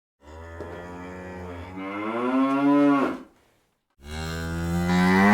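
A cow gives two long, deep moos, the first swelling upward before breaking off.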